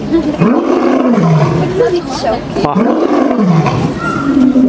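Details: Lion roaring in a zoo enclosure at the Bronx Zoo, USA: two long, deep, moaning roars that swell and fade about two and a half seconds apart, then a shorter low grunt, with faint visitor voices behind.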